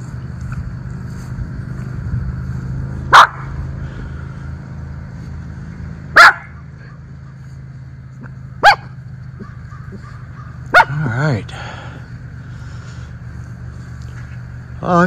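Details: Miniature Schnauzer, one of two brothers outdoors among fallen leaves in Aroostook County, Maine, on October 13, 2024: single sharp barks spaced roughly three seconds apart, then drawn-out whining, wavering calls, with low background hum.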